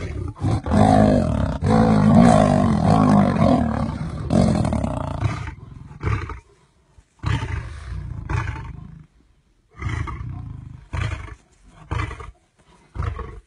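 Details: Wild male lions scuffling in the Masai Mara over a lioness in heat. Five seconds of loud, deep, rasping roaring and snarling, then a series of shorter gruff growls and bursts separated by brief silences.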